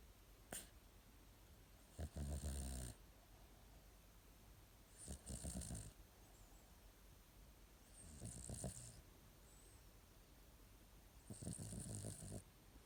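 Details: Male domestic cat snoring while sound asleep indoors: four soft, breathy, rasping snores about every three seconds, with a faint click early on.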